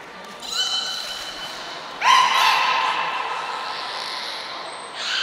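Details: At Port of Nagoya Public Aquarium, captive beluga Nico calls during training on 25 February 2024: two harmonic squealing calls, the second louder and longer, with a brief high pure tone near the close.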